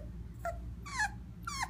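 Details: Greta, a Cocker Spaniel puppy, howls for the first time: three short, wavering tonal cries, the first faint and the last two louder and richly harmonic, each rising then dropping, over a low steady hum.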